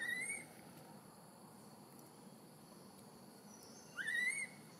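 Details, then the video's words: Newborn female baby macaque in Siem Reap Province, crying loudly from hunger for milk after being taken away by Tarzanna for a long time: two high, whistled cries, the second rising sharply then holding level, separated by about four seconds of quiet background hiss. "Newborn Baby Monkey Crying Loudly Hungry Milk"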